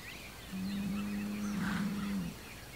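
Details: Hereford bull Homebrew calls toward rival bulls across the road on June 17, 2023: a single steady low drawn-out moo lasting under two seconds, quiet against faint outdoor background.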